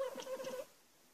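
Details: An Abyssinian cat chatters at birds outside in a quick run of pulsed, nasal, mid-pitched chirps, while a person asks what's out there.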